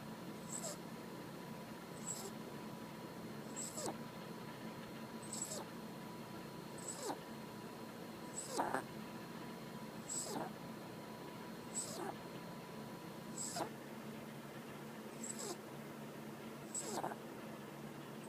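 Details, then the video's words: Female dog asleep and snoring loudly indoors, soft rasping breaths recurring about every one and a half seconds over a steady background hum. "My snoring dog"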